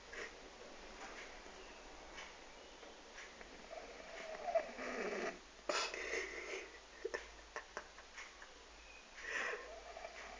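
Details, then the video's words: A 12-year-old French bulldog snoring quietly in its sleep. Soft, airy rasping breaths swell and fade in uneven bursts, strongest around the middle and again near the end, over a low steady hiss. "My french bulldog snoring-quitely"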